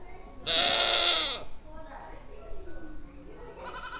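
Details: Goat bleating, recorded 30 March 2023; one long wavering nasal bleat, then quieter calls and a final bleat starting near the end, over steady background noise.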